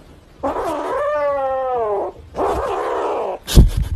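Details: A kitten protesting being touched: a loud, drawn-out, low wavering yowl, twice in succession, harsh and moaning, ending with a sharp bump.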